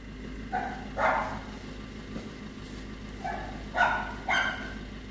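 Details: Male Pomeranian giving short, sharp, yappy barks in two bursts, one pair near the start and a quicker cluster of three toward the end, over a steady low hum.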